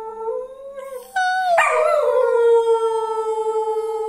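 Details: Domestic dog, apparently named Lilo, joining its owner in a howling session: a held mid-pitched tone, then a sharp higher onset sliding down into one long, level, wavering howl that carries to the end.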